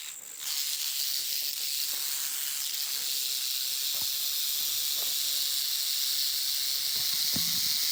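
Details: Warning rattle from a canebrake rattlesnake in South Carolina, telling intruders to stay away; after a brief quiet start, a sustained high, dry buzzing rattle runs unbroken to the end, with faint low thumps.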